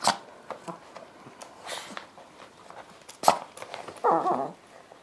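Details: One of two small Chihuahuas indoors, romping on a yoga mat after the owner brings it out, gives a brief, mid-pitched whining yelp among soft knocks and thumps.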